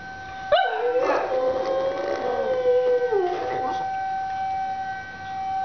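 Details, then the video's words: Pet dog Scruffy howls along with a monthly tornado siren drill, starting with a sudden yelp, then a sustained wavering howl that dips near the end, over a constant whining siren tone. "Dog Howls at Tornado Siren Drill!"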